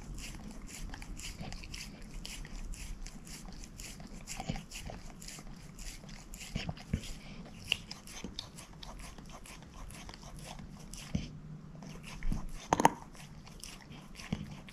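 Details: Moose, a shepherd mix dog, works steadily at a bone: a long run of soft rapid gnawing clicks, a few louder cracks late on, in a quiet small room.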